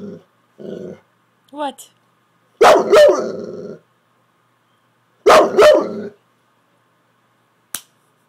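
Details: Pet Saint Bernard talking back to its owner as though trying to tell her something: short grumbles, then two rough, throaty moaning bursts a few seconds apart; the owner's speech is mixed in.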